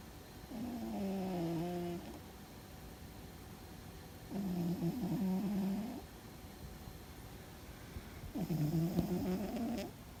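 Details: Loud snoring from Fuzzy the cat asleep and maybe dreaming: three steady, buzzy, tonal rumbles, each about a second and a half long, spaced about four seconds apart, with hushed pauses in a quiet room.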